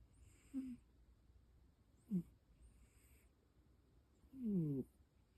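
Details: A cat that snores heavily gives three short snores about two seconds apart. Each is a low, moaning tone that slides in pitch. The last is the longest and raspiest, over faint steady background hiss.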